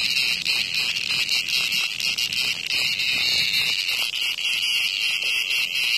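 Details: Steady high-pitched rasping drone of a cicada caught by a hornet in front of a home, loud throughout with slight rhythmic flutters in the buzz.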